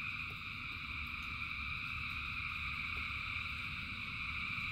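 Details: Thousands of frogs sing together during rain: a continuous shimmering trill at several pitches that never pauses, over low rain rumble with occasional sharp drop-like ticks.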